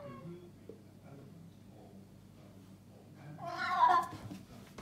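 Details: Maine Coon giving its turkey-gobble noise, made when excited or confused; quiet room hum, then a loud, rough, wavering burst near the end, rising and fading over about a second.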